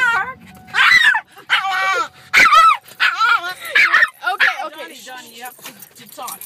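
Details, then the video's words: Pet dog 'talking': a run of wavy, rising and falling whines and yowls with bright harmonics, broken into short bursts, answered by the owner's chatty voice. "My dog Donovan loves to talk!"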